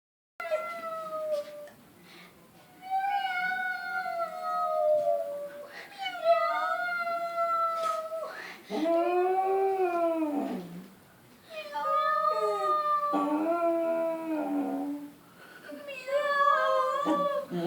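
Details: A female English Cocker Spaniel howls indoors on hearing a cat, drawn-out, quavering, tuneful notes sliding up and down with short breaks; lower arching cries, possibly the cat's meows, are mixed in.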